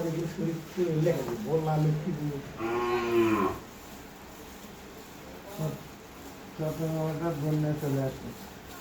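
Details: Pure Holstein Friesian cow in Bogura, Bangladesh, in heat for the second time and just inseminated; a long, low harmonic moo rising into a strained bellow, then a second shorter moo, with a man talking in Bengali between calls.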